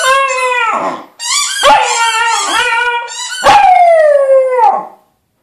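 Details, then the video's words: Pet corgi 'singing' because it wants more beer: three long, wavering harmonic howls with short gaps. The first dips and fades, the middle breaks into rising and falling yips, and the last slides slowly downward before stopping. "the corgi sings the song of his people"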